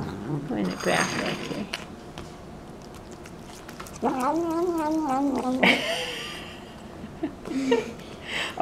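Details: Domestic cat giving a drawn-out, wavering meow of about one and a half seconds with stacked harmonics, followed by a shorter higher cry, amid human speech and laughter in a funny pet compilation.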